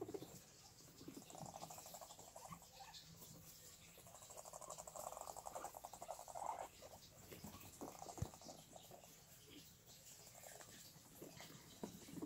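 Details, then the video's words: Soft pulsed rumbling from guinea pigs, rising and falling in short stretches across the recording, with light rustling, a sharp tap near the end, and faint steady background noise. "Guinea pigs mating?"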